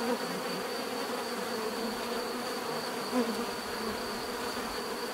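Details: Natural bee buzzing forms an unbroken humming drone, with short louder flybys near the start and just after three seconds.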